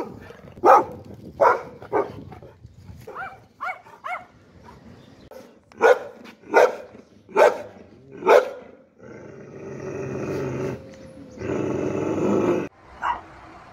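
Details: Domestic dog barking in single sharp yelps spaced about a second apart, then a stretch of broad hissing noise, like rushing wind or a vehicle, with one last bark at the close.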